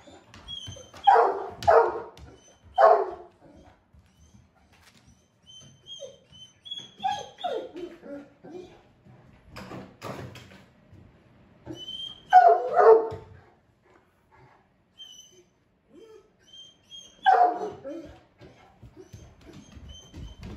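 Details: A normally calm male Great Pyrenees, unusually excited and asking his owner to play, gives bursts of two or three deep barks separated by long gaps filled with soft shuffling and faint movement sounds.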